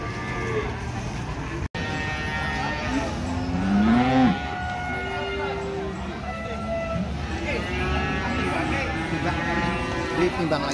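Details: Cattle lowing at the Ambarketawang cattle market in Gamping, Jogja, where animals are weighed; drawn-out, wavering moos rise and fall midway through a noisy market din of chatter and background music.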